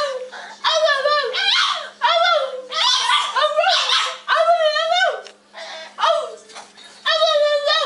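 A French Bulldog cries in a run of high, wavering whines that rise and fall almost like speech.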